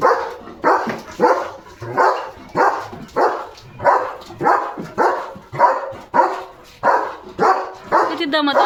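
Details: Leo the German Shepherd, a village guard dog, barks steadily at other dogs going past his home, driving them off: rough, evenly spaced barks about every 0.6 seconds, with a man's voice briefly at the end.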